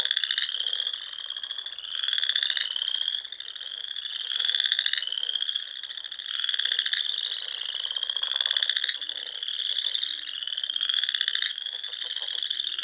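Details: Frogs singing in spring in the Sandhills of Nebraska at dusk, among small lakes and ponds: a dense chorus of high trilled notes, overlapping pulsed bursts repeating every second or two, continuous throughout.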